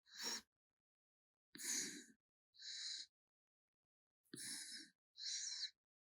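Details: Raccoon Gaetongi snores while asleep, each breath a rough, airy hiss paired with a deeper rattling burst, repeating at an uneven, slow rhythm.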